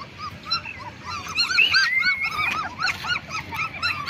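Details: Several black German Shepherd pups, 20 days old, making short bowed whimpers in quick succession, interleaved from different puppies, with one longer thin whine sliding upward through the middle.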